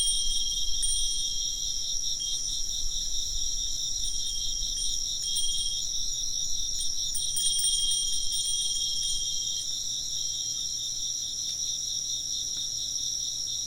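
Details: Chirping insects keep up an unbroken high pulsing chorus while a wind chime rings repeatedly through the first ten seconds, its clear tones overlapping the trills.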